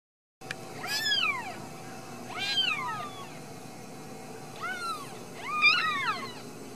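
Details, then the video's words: Ragdoll kittens raised in a home cattery in central Kansas give four high, arching meows, each falling at the end, spaced through the clip over a steady low background hum. "Steward Ragdoll Kittens"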